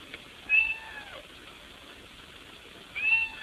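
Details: Cat wanting to be let into the house through the window: two brief, thin meows about two and a half seconds apart over a low steady background hiss.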